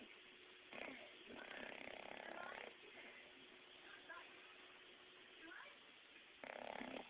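An English Bulldog snores in long, rough, rasping breaths, with a faint steady hum behind.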